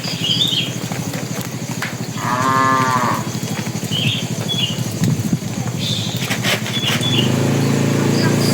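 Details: Bull among tame cattle heading to the pen, calling the cows, gives one mid-pitched harmonic moo of about a second over a heavy low rumble and throbbing background, with scattered bird chirps above.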